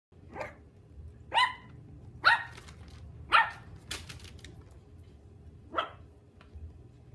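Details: Yorkshire Terrier (Canis familiaris) puppies give high, sharp yips at an uneven pace indoors, over a low hum.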